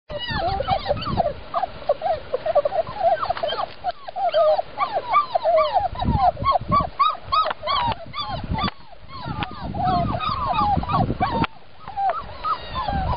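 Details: Jack Russell Terrier puppy, English type, giving many short high whimpers and squeaky yelps, rising and falling, in rapid overlapping bursts through the whole stretch, with some low rustling and handling noise underneath.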